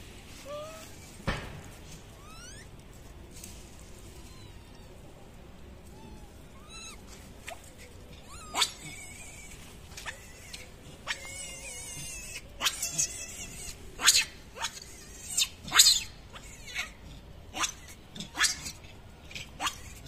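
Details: Macaque screaming for its mother after getting its head stuck and being unable to get out; shrill, wavering high-pitched cries come in irregular bursts, growing louder and more frequent in the second half, with sharp clicks and knocks between them.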